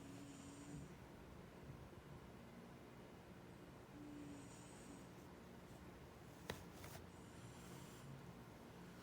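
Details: Sleeping pet cat 牙擦肥 snoring indoors: a soft, hissing breath rises and falls about every three to four seconds over a steady low rumble, with one sharp click midway.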